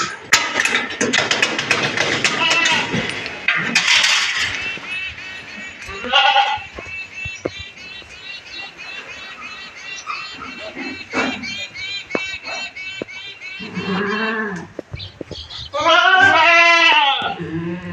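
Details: Castrated farm bucks, 14–15 months old, sold for Bakri Eid, bleat several times with wavering, quavering cries scattered between people talking and background music, the loudest bleats coming near the end.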